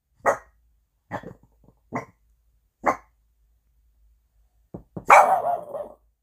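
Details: A Boston Terrier, woken from sleep by a knock at the door, gives sharp, single alert barks about a second apart, ending in a longer, rougher bark.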